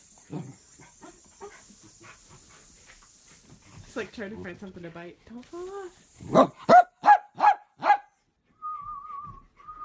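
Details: Playful miniature dachshund: after stretches of human chatter, five loud, sharp barks come in quick succession, followed by a wavering, whistle-like tone near the end.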